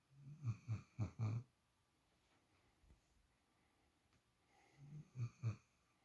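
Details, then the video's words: Snores from a sleeping female puppy curled up in Shadow's usual spot for the first time: a cluster of four deep, rasping snorts, a long quiet gap, then three more rough breaths, indoors with nothing else heard. "Snoring Puppy"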